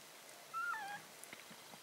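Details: A 1.5-week-old Italian Greyhound puppy from a litter gives a single thin, whining squeal that dips downward.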